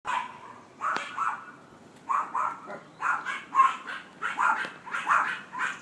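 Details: A dog barks constantly, giving short, sharp barks in irregular bursts of two or three, roughly forty per minute, with brief quiet gaps and a single click early on.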